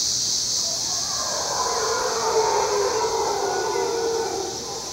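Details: Howler monkeys heard in early morning from the observation deck at Canopy Tower, Panama: a distant, drawn-out roaring drone in a low-mid band, rising and falling over steady hiss and high insect buzz.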